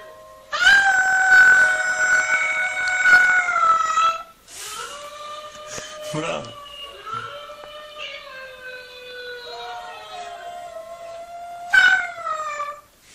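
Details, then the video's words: Siberian Husky puppies howling nonstop, a compilation: long sustained tonal howls with rich harmonics, one high drawn-out note sliding slightly down, then softer wavering howls and a final rising-falling yodel. "10 Filhotes de Husky Uivando"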